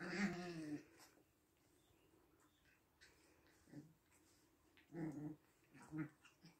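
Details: Six-week-old puppies indoors, making a low growling whimper at the start, then short scattered grunts and whines in separate bursts with quiet gaps between them.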